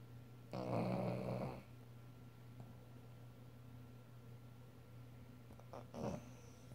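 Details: Loud snoring from a sleeping dog inside a room: a single rough, breathy snore of about one second, then near silence, then a shorter snorting breath near the end, over a low electrical hum.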